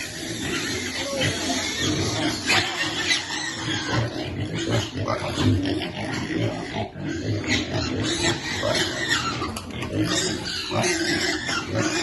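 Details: Hungry baby piglet awaiting its feed, giving a steady stream of low grunts mixed with short, piercing squeals, loudness rising and falling irregularly.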